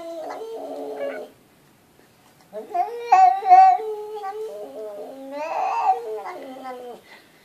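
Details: A talkative house cat chatters indoors in a string of varied, rising and falling meowing syllables that sound almost like babbled speech, with a short pause after the first phrase.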